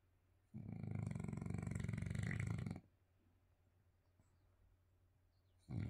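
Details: French Bulldog snoring while asleep, one long, deep, gravelly rattling breath of about two seconds, followed by near silence and the start of the next snore at the very end.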